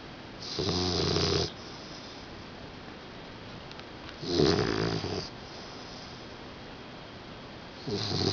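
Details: Brushci, a 4-month-old puppy, asleep indoors and snoring: rough, rasping snores about a second long, repeating roughly every three and a half seconds, with quiet breathing between.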